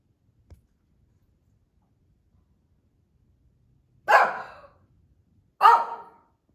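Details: Female Shih Tzu kept as a pet, wandering the family room and barking, maybe bored or reacting outside: after a quiet stretch with a faint tap, two sharp barks come about one and a half seconds apart.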